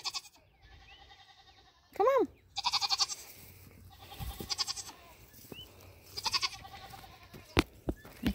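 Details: Nigerian Dwarf dairy goats on New Year's Eve 2020, during their first minutes near a buck for breeding. A loud, short, arching bleat, then wavering pulsed bleats, mixed with people talking and some knocks.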